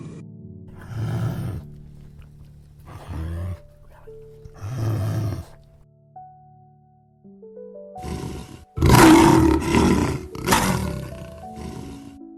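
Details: Lion roaring: three deep, grunting roars in the first half, then louder, harsher roaring bursts near the end, all over a steady musical backing of sustained tones.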